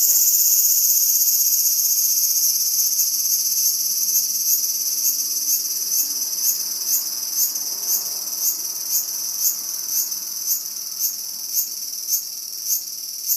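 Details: Cicada faced by two whippets waiting to pounce; a shrill, high, continuous buzz with rhythmic pulses about twice a second that grow sharper toward the end, with no other clear sounds.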